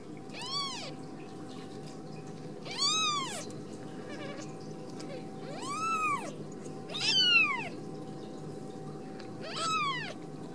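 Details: Ragdoll kittens from a home cattery in central Kansas giving high arched mews, five calls spaced roughly two seconds apart, each rising and falling in pitch, with faint low household hum underneath.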